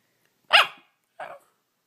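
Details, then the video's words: Pet dog in a funny talking-dog compilation gives two short, sharp barks: a loud first yap, a brief pause, then a softer second bark. "Smart Talking Funny Dog Videos"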